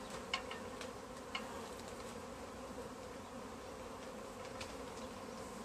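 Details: Honey bee swarm clustered in a tree, being collected into a bag; a steady, even droning hum holds throughout, with a few faint clicks on top.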